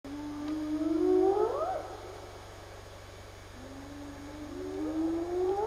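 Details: A wild spotted hyena calls twice at night in June 2015 in Zimbabwe, drawn-out whoops starting low and gliding upward, the first ending in a sharp upturn, over a constant low droning hum.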